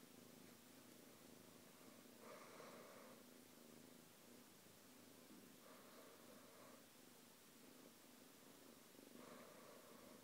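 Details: Pet cat purring the whole time as it shares space peacefully with another pet; a soft, low throbbing purr that swells with breathy louder phases roughly every three to four seconds.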